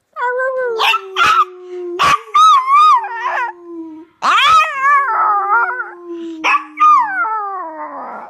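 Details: Pet Chihuahua howling: drawn-out tonal howls sliding slowly downward, broken by sharp yips and barks, with wavering high notes in two long bouts.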